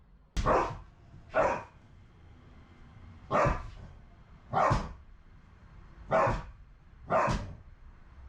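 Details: Two brindle Akita dogs, former rescues, a male of about six and a female of about five, left home alone and greeting their owner's return. Six loud, deep barks come in three pairs, about a second apart within each pair.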